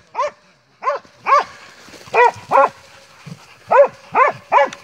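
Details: Montenegrin Mountain Hounds from kennel 'Sutorman' during a hunt, producing loud ringing barks in irregular pairs and singles with short pauses between them.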